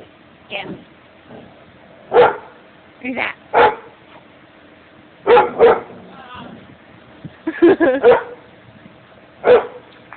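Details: Dog in a yard barking at a person: loud, sharp barks in irregular singles and pairs over ten seconds, with quiet human speech in the gaps.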